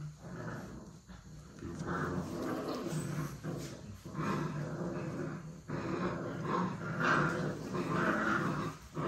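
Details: Playful puppies from an active litter wrestling, with a steady stream of low, throaty growls broken by brief gaps and occasional higher yelping notes, and scuffling around them.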